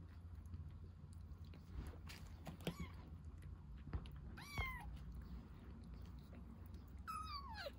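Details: Rescued baby kitten drinking milk, giving three short, thin meows that slide down in pitch, spaced a couple of seconds apart over a steady low background hum.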